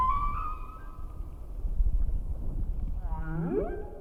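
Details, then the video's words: Humpback whale song: a long tonal moan, then a run of harmonic sweeping cries over low ocean rumble. "Whale songs flew across the solar system on the Voyager Golden Record, and those songs sparked real change."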